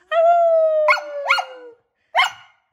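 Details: A six-year-old corgi on its birthday holds a long, tonal howl that sinks slowly in pitch, broken by short rising yelps and barks. It sings along as a person sings Happy Birthday, joining in only when vowels are sung.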